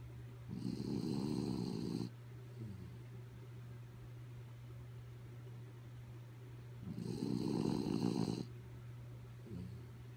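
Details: Sleepy dog Kaya Boo snoring steadily: two long raspy, vibrating snores about six seconds apart, each trailed by a soft short snuffle, with a constant low hum underneath.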